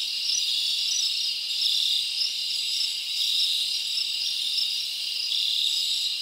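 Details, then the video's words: Crickets chirping at night in a summer forest, a dense, steady high-pitched shimmering chorus of many insects with no pauses and faint swells in loudness, with no other sounds. "Live Crickets Natural Sound"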